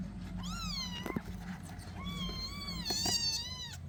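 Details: Kittens playing with other cats around: two clear high-pitched meows, each rising briefly then gliding down, about two seconds apart, with a faint tap between them and a constant low hum behind.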